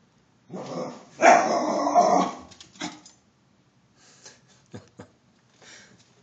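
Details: Pet dog in a backyard alerting to a deer intruder: a loud, rough bark-growl burst lasting about a second, then a shorter bark and a few faint softer sounds.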